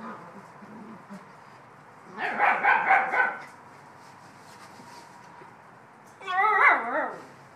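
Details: Bouvier des Flandres puppies, 7.5 weeks old, playing and complaining they have not had breakfast yet: two bursts of high, wavering whines and yelps, one around two seconds in and another near the end, with quiet room sound between.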